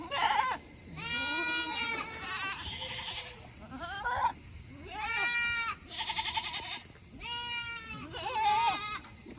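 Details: Tokara goats kept on a small farm in Himi, Japan, on a hot 8 August 2021, impatiently bleating to return to their shed after eating; overlapping drawn-out, trembling bleats, some high and strained, others lower, almost continuous.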